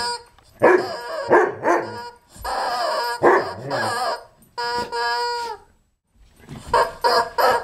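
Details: Moby, a white Poodle, with a loud rubber chicken he received for his birthday: short clustered barks and whimpery yelps in bursts, a steady high harmonic squeal near the middle, then a brief silence before more barking.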